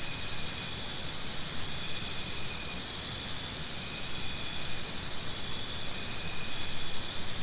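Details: Rhythmic cricket chirps, offered as natural tinnitus sound therapy, run in a fast even pulse for two seconds, pause, then resume near the end, with a continuous shrill insect hum and low background rumble.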